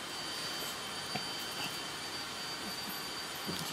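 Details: Steady machine-like hiss with a faint high whine throughout, like a fan or engine, and no barking or other animal sound.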